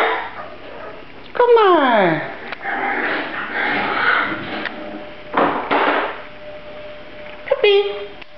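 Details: Grand Basset Griffon Vendéen puppies give a loud whining yelp that falls steeply in pitch. Human talking fills the middle stretch, and a second short, higher yelp breaks in near the close.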